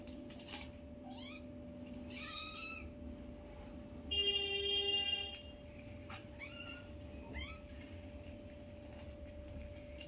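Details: One of five newborn kittens playing with its mother for the first time gives thin, downward-sweeping mews, a pair near the start and another pair after six seconds, broken by a second-long steady electronic tone and a constant hum.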